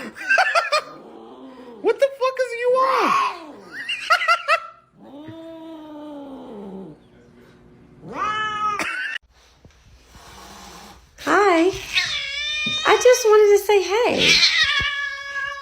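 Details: Domestic cat giving several drawn-out, arching meows that rise and fall in pitch, some wavering and strained, separated by short pauses, with a human voice and brief background noise mixed in between the calls.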